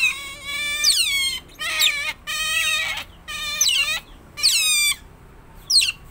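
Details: Captive pet otter giving a run of shrill, whining squeals, each burst about a second long and repeated roughly once a second, many ending in a falling sweep.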